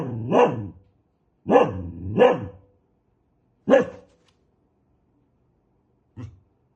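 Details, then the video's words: Angry dog barking: a sharp bark, then a pair, then another single bark a second later, ending with a faint, clipped woof. "Suara anjing galak"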